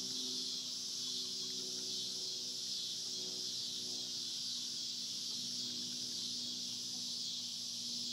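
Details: On a farm, cicadas produce a dense, sustained high-pitched buzzing that never breaks, with a soft low hum and faint rustling underneath.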